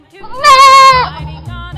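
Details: Mountain goat giving one loud, drawn-out bleat of about half a second, rich in harmonics and slightly wavering, with soft music underneath.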